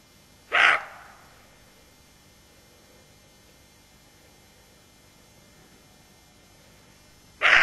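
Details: Alert roe deer doe with her fawn: one short, rough bark near the start, then a long quiet pause before a second bark begins right at the end.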